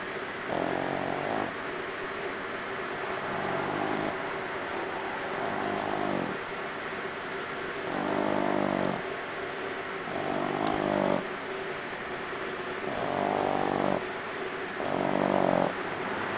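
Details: Four-month-old Boston Terrier puppy asleep and snoring: rasping, rumbling snores rising and falling in a steady cycle about every two seconds over constant background noise.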